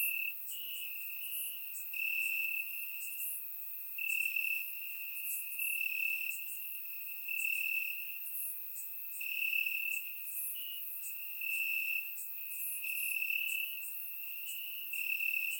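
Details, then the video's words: Nighttime crickets in Bulgarian grass on a warm summer evening, captured with a surround microphone; an unbroken shrill trill rising in loudness every second or two, layered with fainter high insect chirps. "Cricket Sounds - Crickets Chirping at Night"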